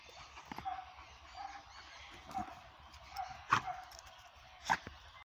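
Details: Pit bull named Kitty, described as a fighter being readied for the ring, gives a few short, sharp yips and whimpers about a second apart, with a man's voice and outdoor background noise.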